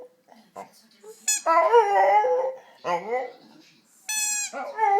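A dog gives strange yodeling whines and howl-like cries with sharp yelps between them.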